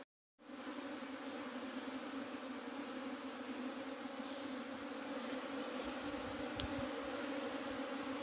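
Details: A clustered bee swarm that had tried to leave and then gathered in a heap makes a dense, continuous droning buzz. It starts abruptly after a brief silence and holds steady, with a few low thuds late on.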